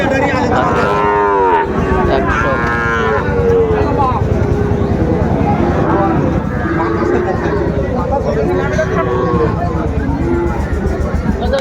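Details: At a Mymensingh cattle market in Bangladesh, 30 May 2024, where Sahiwal bull calves are sold, two loud arching lows come early, then fainter mooing continues beneath busy human talk and market hubbub.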